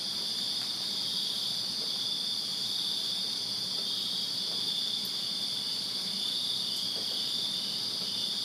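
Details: Summer night chorus of crickets in a backyard in Virginia, a constant high shimmering trill from numerous callers, plus scattered faint ticks and a low rumble.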